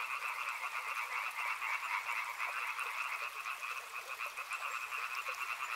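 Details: Riverside frogs in a thick unbroken chorus, fast rattling croaks layered into a high and a middle band, loudness rising and dipping in gentle waves, with soft hiss underneath.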